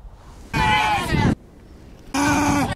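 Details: A very angry, provoked desert rain frog (Breviceps macrocephalus) gives two harsh, high squeaks, each under a second long, sounding like a dog toy; a war cry.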